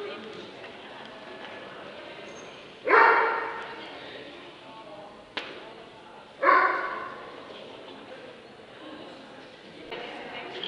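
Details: A Dobermann in the Limit Dog class at the Scottish Dobermann Club championship show, 2012: two loud, sharp single barks about three and a half seconds apart, over a steady murmur of people talking in the hall.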